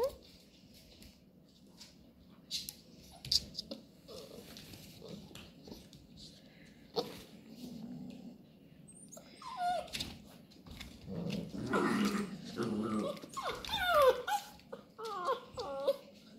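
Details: Labrador Retriever puppies tussling over cardboard rolls indoors: long stretch of rustling, tearing and scuffling, with soft grumbling growls building midway and a cluster of thin, rising and falling whimpers toward the close.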